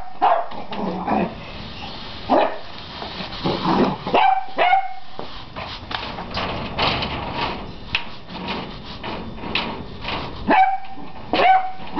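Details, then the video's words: Beagle puppy of 11 weeks facing a broom: scattered yips and barks amid scuffling and rustling noises, with a clearer sharp pair of barks near the middle and end. "Beagle puppy and the killer broom!!"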